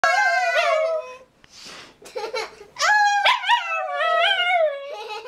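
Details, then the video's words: Pet Rat Terrier howling along with a person indoors: long wavering tonal howls that rise and fall, with brief yips and breaks between phrases, the human voice blending in. "Aidan Howls with Kendra"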